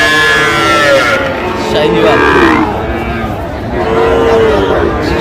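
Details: Sahiwal bull calves at a cattle market, bought by a farmer from Chuadanga, Bangladesh, 19 August 2025; drawn-out low moos rise and fall over a noisy crowd, with steady market chatter and voices throughout.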